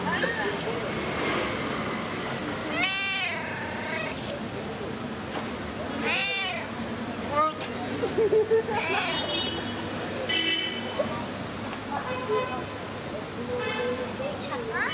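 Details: Friendly street cats greeting and demanding attention, giving several arched, rising-falling meows spaced a few seconds apart, with people talking in Turkish and urban background noise.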